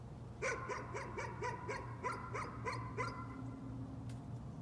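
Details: A dog's nuisance barking: a rapid run of about ten sharp, evenly spaced barks, then quiet with a constant low hum beneath.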